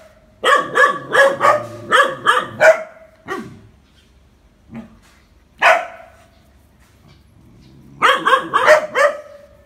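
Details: Phu Quoc Ridgeback dog training to catch snakes in Vietnam, barking excitedly in fast bursts of six or seven harsh barks, scattered single barks in between, then another rapid burst near the end.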